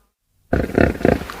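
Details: A hippopotamus (Hippopotamus amphibius) gives a deep, rough, pulsing grunt that swells twice in quick succession.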